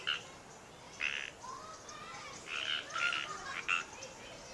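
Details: Frogs at Natural Bridges State Park, Santa Cruz, California, USA, give short, raspy croaks in uneven bursts in the wild, with several callers overlapping.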